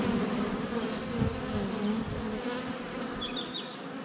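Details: Honey bees buzz around a GoPro at their hive entrance on a sunny February day, a rich low hum rising and fading as bees fly past, with a brief high bird twitter near the end.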